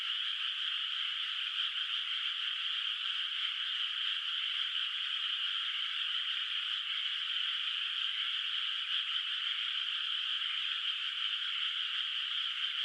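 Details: Countryside night in a moonlit rice field with no rice planted yet, and frogs calling in the distance. Countless overlapping grating calls blend into a steady, dense chorus with slight flickering pulses and no breaks.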